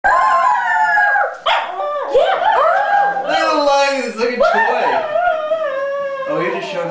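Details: Paulie, a pet dog, singing: long sustained harmonic howls that waver and slide up and down in pitch, sometimes overlapping with a person's voice, with a short break after about one second.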